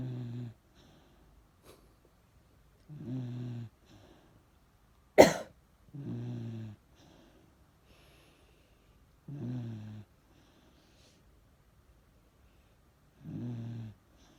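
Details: Miniature Dachshund named Chage, an ageing dog, asleep and snoring: low, rough snores recurring every three to four seconds, with one sharp loud snort or cough-like burst early on, in a quiet room.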